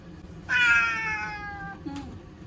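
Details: Nervous ear-tipped cat Chanta, sheltered from a September 2020 typhoon in an Okinawa bathroom, gives a single loud, long meow that slowly falls in pitch, followed by a faint short sound.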